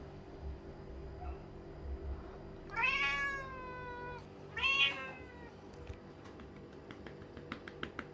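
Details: A male lynx point Siamese cat gives two loud, drawn-out meows, each sliding gently downward, as he demands more bum taps after they stop.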